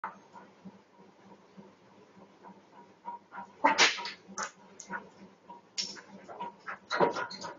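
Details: Dog reacting after seeing a cat jump over a wall; soft rhythmic panting and thin whines build into several harsh, noisy bark bursts toward the end.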